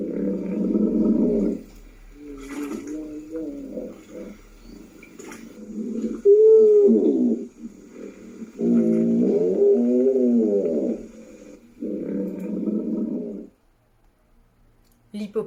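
A hippopotamus gives deep, rumbling grunts in a series of loud bursts.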